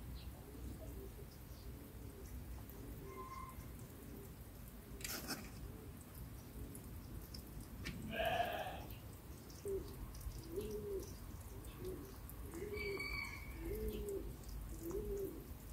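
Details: Three young hedgehogs with their mother, lured out of hiding by cat food, give short, squeaky peeping calls, repeated about once every half second.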